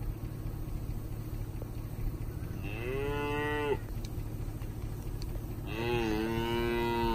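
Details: Cattle from a herd of 44 Angus, Brangus and Black Motley Face cow-calf pairs, cows aged two to seven years with calves up to newborn age; two drawn-out, harmonic moos, the second slightly rising, over a steady low rumble.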